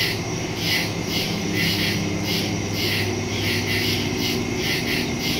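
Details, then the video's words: Crickets in the woods at night, recorded September 2, 2023 on a Samsung Galaxy S22 Ultra phone with a Shure MV88+ stereo microphone: high, shrill pulses repeating about twice a second over a steady low hum. "Crickets in the woods at night"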